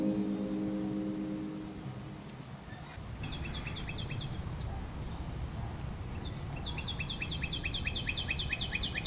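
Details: Cricket chirping beside a flowering aloe vera: a steady, high, pulsing trill runs throughout, joined midway by rapid series of descending sweeping notes; brief low tones sound at the start.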